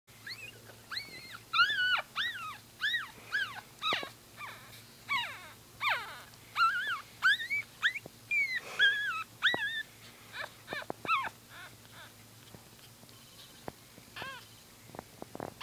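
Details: Newborn Brussels Griffon puppies squeal in a rapid series of thin, high, rising-then-falling squeaks, roughly one or two a second for most of the stretch, then thinning out near the end, with faint low hum beneath.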